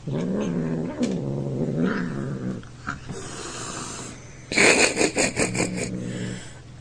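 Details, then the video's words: Domestic cat making weird sounds while eating and being poked: a low, droning growl with harmonic bands for about two and a half seconds, then a burst of clattering, crunching noise and a softer sustained tone. "Cat making weird sounds while eating"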